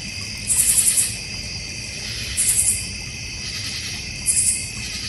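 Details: Backyard crickets in the North Georgia Mountains, beside a goldfish and koi pond. A dense, even insect chorus hums throughout while three rapid trilled bursts, very high-pitched, repeat about every two seconds.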